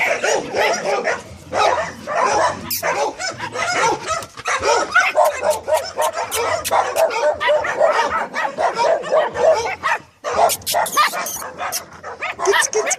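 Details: Staffordshire Terriers vocalizing in a dense, almost unbroken stream of short barks and yips lasting about thirteen seconds, with overlapping bursts and one brief lull near the ten-second mark.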